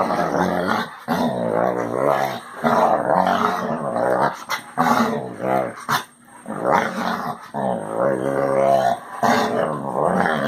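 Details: Basset Hound kept as a pet voicing a long series of groaning, growly moans, each lasting one to two seconds with wavering pitch, separated by short breaths and small knocks.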